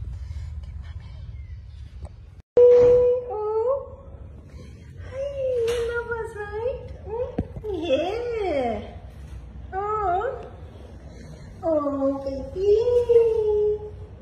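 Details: Cat with newborn kittens that were found dumped at a pagoda, eyes closed, one or two days old. A series of wavering, plaintive mews, some rising then sliding down, comes in bursts, with a sharp loud note near the start.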